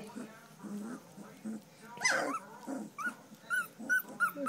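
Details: Standard poodle puppies, three weeks old, bred from Star and Levi: soft murmuring and a person talking at first, then one sharp rising squeal, followed by a run of short, bright, evenly spaced yelps toward the end.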